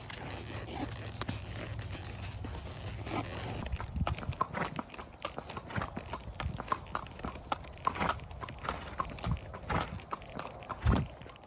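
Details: Horse on a trail ride in Florida, its hooves clip-clopping in a steady walking rhythm of sharp knocks, several beats per second.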